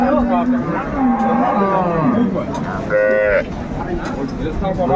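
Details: Dairy cows with calves at Ambari market, Dinajpur, on 29 April 2024: several short low moos early on, then a brief higher-pitched bawl, mixed with nearby men's talk and a busy market crowd.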